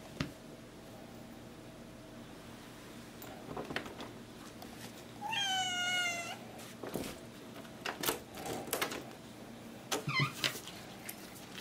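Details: Domestic cat meowing indoors, asking for the door to be opened; a single drawn-out harmonic meow near the middle, then a shorter falling meow near the end, with knocks and thumps in between.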